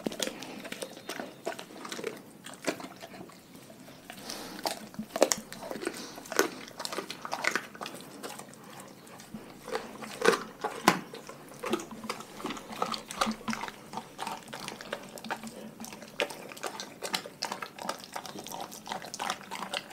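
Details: Raw-fed pet dogs crunching and biting through their food in a small room, a dense, continuous stream of crackling chews and snaps with occasional louder cracks.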